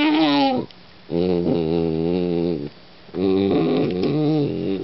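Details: Loud, drawn-out howling whines from a vocal German Shorthaired Pointer puppy: three sustained, richly harmonic moans, each lasting one to two seconds, separated by short breaths, the last one wavering and climbing.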